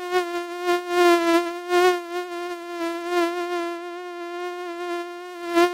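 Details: Mosquito buzzing in a steady, high, nasal whine with a rich stack of overtones, swelling and fading in loudness as if passing close by, with no other sounds.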